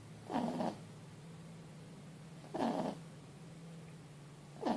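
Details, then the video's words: Four-month-old Boston Terrier x French Bulldog puppy asleep after a long day, snoring loudly: rough, throaty snores about every two seconds over a steady low indoor hum. "Un chiot ronfle bruyamment"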